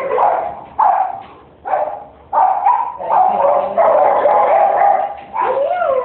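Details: Deaf miniature Australian Shepherd barking: loud, sharp barks repeated roughly every second, several run together into longer drawn-out yelps, ending on a rising-then-falling whine-like bark; no other clear sounds.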